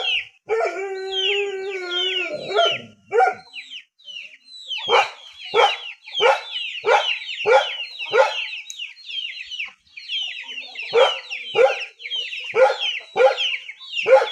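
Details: A poor dog in a rural area gives a long, steady, harmonic whine, then a run of short sharp barks repeated about every half second. High twittering chirps sound throughout the background.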